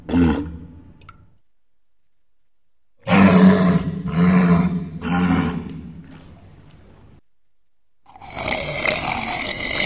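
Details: Walrus, an Arctic marine mammal, calling with a series of deep grunting roars, three swelling bursts after a pause, then a harsher broad-toned bellow at the end; no other animals audible.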